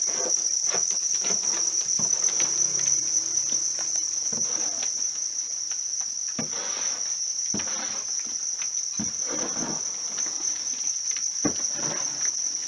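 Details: Steady, high, whistle-like trilling from house crickets kept for rearing, never pausing, accompanied by repeated scraping and tapping sounds of handling.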